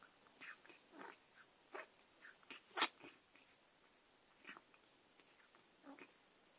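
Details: Persian cat Margot makes odd snorting and sniffling noises as she attacks pen and paper. Quick, noisy nasal puffs come in irregular clusters, the strongest burst near the three-second mark, mixed with light chewing and scuffing sounds.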